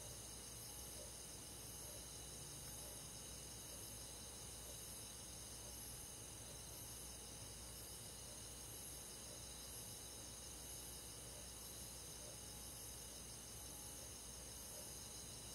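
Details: Summer-night countryside crickets and forest insects forming an unbroken, even, high-pitched trilling drone of overlapping callers, gently pulsing, with a low rumble of ambient night noise beneath.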